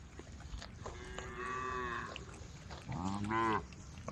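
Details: Herd of cows roaming a dusty country road, calling to the herd: two distant, harmonic moos, one drawn out for about a second and a shorter one rising and falling, over steady background noise.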